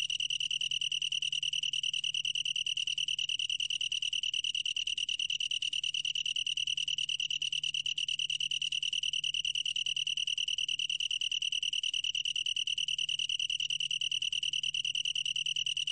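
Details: Steady high-pitched pulsing trill of a long-tailed tree cricket, tonal and continuous with slight wavering in loudness, without other noises.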